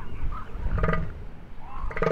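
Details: At Año Nuevo State Reserve during the winter breeding season, a male northern elephant seal, nose inflating, gives deep, pulsed, throaty bursts as his battle call to rivals, with a narrator speaking.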